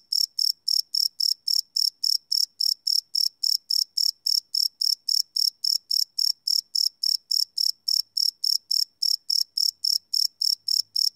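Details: Crickets chirping at night, live field recording with a Sony PCM D100: a continuous run of brisk, high, trilling pulses at a steady pace, one brief gap near the ninth second, quiet surroundings.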